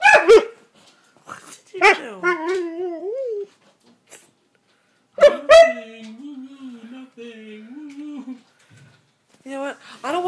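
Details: Male Siberian Husky indoors, complaining because he is not allowed on the bed: drawn-out, wavering, howl-like moans that rise and fall in pitch, several separate phrases with short gaps, while a person talks back to him.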